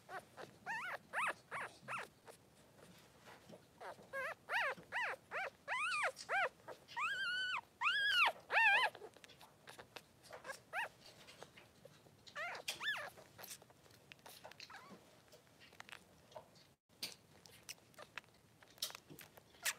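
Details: Three-day-old Blenheim Cavalier King Charles Spaniel pups, two males with mother Pom-Pom in their pen, give bursts of rising-falling squeaky cries, some drawn into longer quavering wails, then fall quieter with scattered faint squeaks and rustling.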